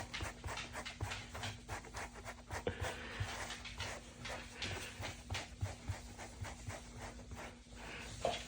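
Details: Dog enjoying being brushed, panting in quick rhythmic breaths with soft lapping and drinking sounds, a steady low hum, and a woman speaking Korean nearby.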